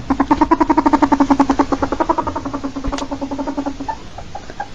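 A ferret gives a fast, throaty clucking chatter, pulses rattling out several times a second before fading.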